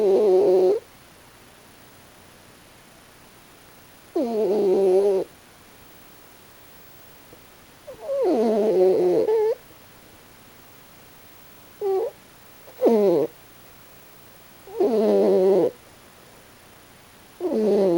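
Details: Pochi, a raccoon dog, snoring while asleep with a strange expression. A series of seven whistly, harmonic snores comes at irregular gaps of two to four seconds; a few are clipped short, and the rest last about a second.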